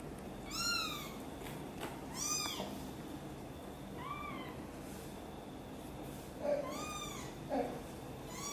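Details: Domestic cat indoors with a mother cat angry while her kitten Guitar is helped out of a box and carried to her; five high, clear, arching meows, some close together, with soft rustling and faint thumps between.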